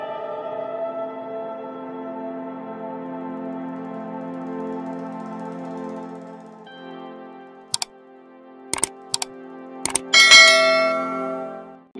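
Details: Sustained ambient synthesizer tones are followed by sharp mechanical clicks and ratcheting, with no animal voice.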